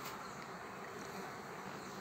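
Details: Honey bees on a single frame with their queen, used to form a new colony; a dense, steady buzzing hum fills the whole stretch without pause.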